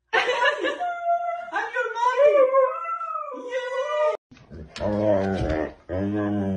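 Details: Siberian Husky voicing dramatic, drawn-out whining howls that bend and waver for about four seconds, followed by a brief pause and lower, voice-like vocal sounds with background music.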